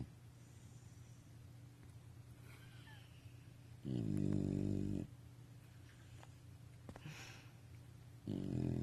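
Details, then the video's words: Bulldog or beagle asleep, giving two low, rumbling snores about a second long and four seconds apart, over a steady background hum with faint household noises. "SNORING Bulldog./beagle"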